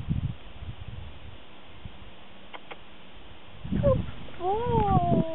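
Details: Jack Russell Terrier named Eddie, taken out for a walk and worked up into excitement; after quiet outdoor rumble and a couple of clicks, a burst of high, sliding whines with rising and falling tones fills the last second and a half.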